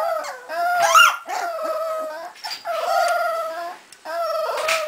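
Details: Cardigan Welsh Corgi puppies, 3.5 weeks old, from a litter born in Sweden in November 2008, howling together: overlapping wavering tonal howls from several voices with short breaks, one climbing higher near the first second.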